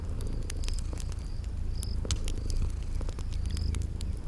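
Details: Sleeping cats purring in a steady low rumble that fills the whole stretch, with crackling fireplace pops and short high chirps from a spring garden ambience layered over it.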